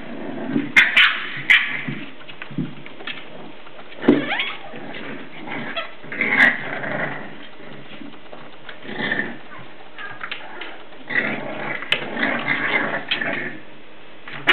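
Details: Seven-week-old English Bulldog pups at play inside, giving rough little growls, yips and whines in frequent overlapping bursts, with knocks and scrabbling of paws on the floor throughout.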